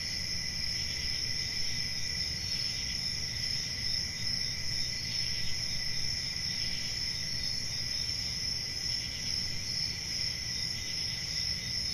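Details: Nighttime cricket chorus in a summer forest: constant high-pitched trilling stacked in two tones, gently pulsing, backed by a steady low rumble.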